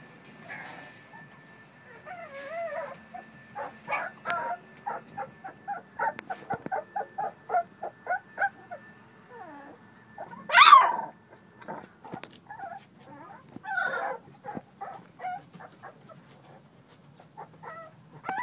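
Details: American Bully puppies playing, giving a run of short yelps, whines and growly squeals in quick series, with one louder high yelp near the middle and softer whimpers toward the end over a faint steady hum.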